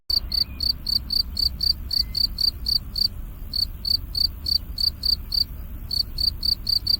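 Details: Cricket. A cricket repeats short, high, ringing chirps about three or four times each second, with one brief pause midway. A faint low rumble and a couple of soft, thin whistles sit in the background.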